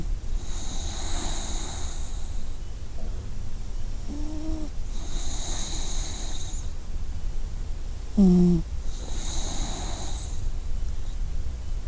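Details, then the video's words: Sleeping puppy snoring: a whistly, breathy tone recurs about every four seconds over a constant low rumble, with a few short squeaky whimpers in between. "snoring puppy"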